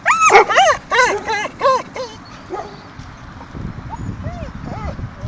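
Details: At a Mariehamn dog park in the Åland Islands, 30 April 2012, playing dogs let out a quick burst of about six sharp, arching yapping barks in two seconds, then softer intermittent squeaky yips against steady low background noise.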